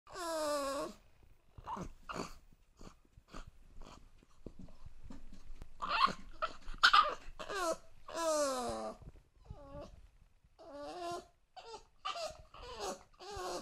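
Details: Two-month-old English Bulldog puppy crying because it wants to get up on the sofa indoors: high, wavering whines and yelps, some drawn out and falling, others short, in irregular bursts with soft breathing between.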